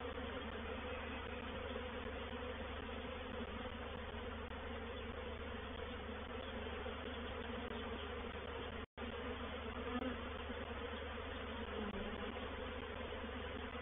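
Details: Massed honey bees of a reproductive swarm moving into a bait hive, or swarm trap, at Painted Peacock Manor on 04/07/21 produce a steady low drone of countless wings, with a sudden brief dropout partway through before the hum resumes.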